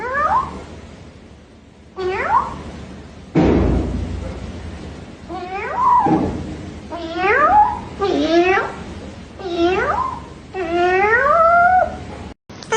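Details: Domestic cat producing a series of rising-and-falling meows, roughly one every second or two, growing more insistent and wavering toward the end, indoors with some background noise.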